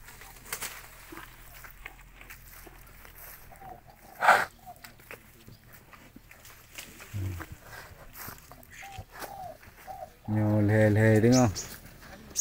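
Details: A cow lows to call its companions, giving one loud, deep, sustained moo that bends slightly in pitch near the end, after a quiet outdoor stretch with faint scattered noises.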